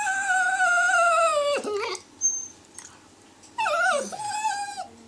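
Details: Italian Greyhound making a long, drawn-out, nasal whine that falls slightly, then drops sharply. After a pause, a second wavering whine falls and levels off.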